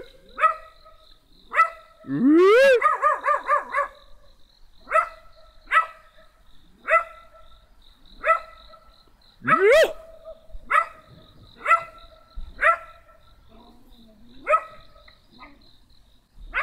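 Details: A small black dog barks steadily, about one sharp bark a second. One brief rapid burst of yapping and a rising whine break the rhythm, with faint voices and music in the background.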